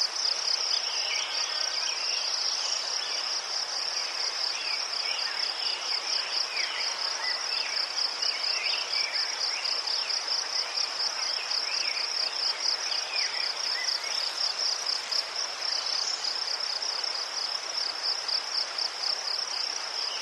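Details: Ukrainian crickets sing among chrysanthemums: a dense, rapid, evenly pulsed high chirping runs unbroken for twenty seconds, with scattered fainter insect chirps beneath.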